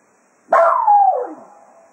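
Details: Cato, a Jack Russell Terrier at Quail Roost, serenades the hounds in farewell as a day of foxhunting ends: one abrupt, loud howling yelp that slides steadily downward in pitch over about a second, then fades.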